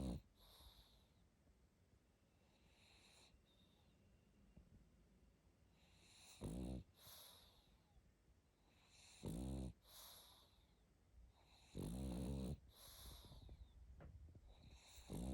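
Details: A sleeping pug snoring on its back; loud rasping harmonic snores every two to three seconds, with softer wheezing breaths between them.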